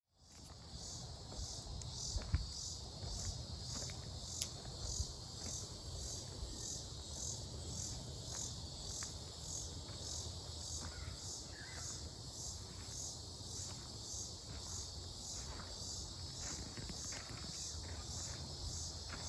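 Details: In Mankato, Minnesota, on 18 July 2025, an unidentified insect, which the recordist thinks might be cicadas, gives a steady, high, shrill buzzing trill without a break over a low rumble.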